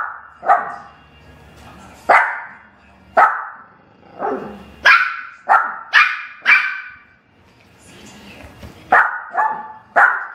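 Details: Pet dogs Bella and Lilly playing on a couch, Bella pulling at Lilly's hair; a dozen or so sharp, bright barks come in irregular bursts, some doubled or tripled in quick succession, with short quiet gaps between.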